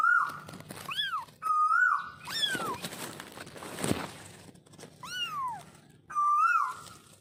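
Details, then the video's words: A baby kitten meows repeatedly: about four high, arching cries that rise and then fall with clear overtones, spaced a second or two apart, between steady, flat whistle-like tones and soft background rustle. "Baby Kitten vioce"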